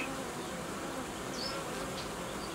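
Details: Many honey bees humming in an apiary while colonies are being united and young queens introduced; an even, broadband buzz throughout, with a couple of brief high chirps over it.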